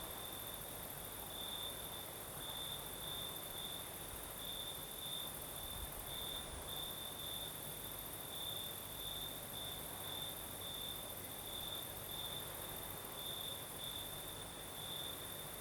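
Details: Crickets chirp through a breezy night in the south of Crimea, their piercing high note beating in closely spaced pulses without pause, over an even hiss of night wind and a thin upper insect buzz.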